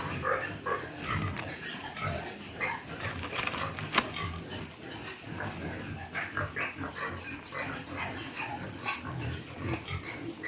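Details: Piglets on a Thai farm being moved into fattening pens: a busy, overlapping mix of squeals and grunts from many animals, with bursts of rustling and clatter throughout and no voices.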